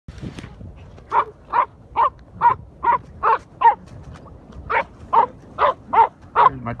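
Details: Patterdale terriers, including a 10-week-old puppy on its first hunt with dogs of 5 and 10 months, barking at an armadillo found in a hole; a steady run of sharp barks, about two per second, with brief voices at the start.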